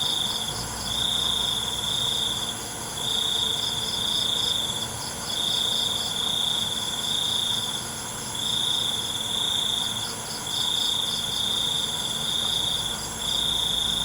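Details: Night crickets give long high trills in bursts of about one to two seconds separated by short gaps, over a continuous wash of shrill insect hum and softer pulsing chirps.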